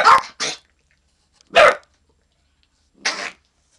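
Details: Little Man, a dog under a year old, alerting to someone in the yard; a few short, breathy, noisy barks spaced about a second and a half apart, the last one weaker.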